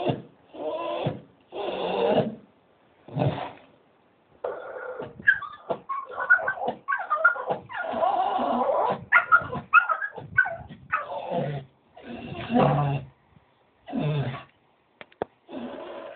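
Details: Staffordshire Bull Terrier making funny noises while waiting for a walk, a Doberman joining in; a long run of whines, yodelling moans and grumbles, some squeaky high notes, broken by short silences.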